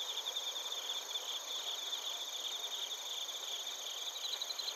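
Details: Insect chorus of bell crickets and crickets from Narita, Chiba, Japan, picked up by a TASCAM Portacapture X8: overlapping high, buzzy trills and continuous ringing tones, with a brighter bout of rapid pulsed chirps toward the end.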